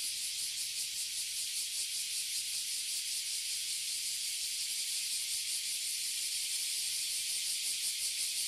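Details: A tree full of oily cicadas and bear cicadas, abura zemi and kuma zemi, in Toyohashi City, Japan: loud, dense, hissing buzz that pulses rapidly and runs without a break.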